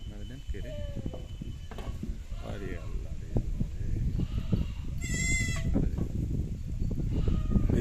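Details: Goat on a goat-rearing farm giving one short, quavering bleat with a strong trembling waver, lasting about half a second midway, amid steady men's conversation and farmyard noise.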